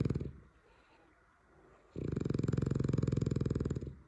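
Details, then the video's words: A sleeping French Bulldog snoring: brief low rumble at the start, a quieter gap, then one long, loud, rattling snore with fast, even pulses lasting about two seconds. "french bulldog snores"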